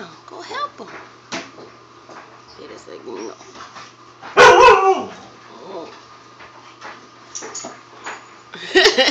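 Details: Siberian Huskies Free Four and Vera at play with a puppy; scattered yips and short whines build to a loud burst of barking in the middle and another near the end, with human voices between.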